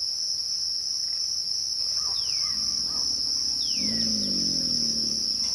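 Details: A continuous shrill cricket trill runs through this twilight scene. Birds add downward-sliding chirps, and a lower warbling call rises in the final seconds.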